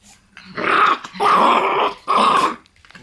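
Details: Black Shiba Inu puppies in a puppy room, including some born in March: three rough, raspy growling bursts in quick succession, the middle one longest, with short quiet gaps between them indoors.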